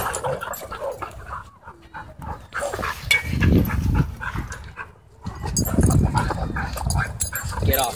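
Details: Several dogs playing wildly at a dog park, giving rough, noisy bursts of sound in uneven clusters, loudest around three and six seconds, with human voices and general outdoor bustle mixed in.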